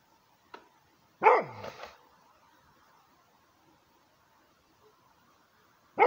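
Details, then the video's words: Guarding Rhodesian Ridgeback barking: one strong, harsh bark with a trailing gruff tail, a faint click before it, a low steady hum between, and another bark cut off at the end. "Rhodesian ridgeback guarding 2"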